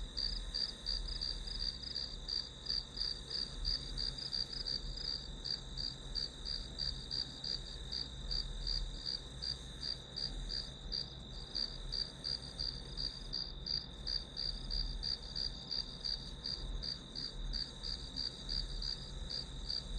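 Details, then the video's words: Study-session ambience of grass insects: a continuous piercing whine layered with evenly spaced chirps, about three each second, holding steady for the whole stretch against a faint low-pitched rumble. "풀벌레 소리"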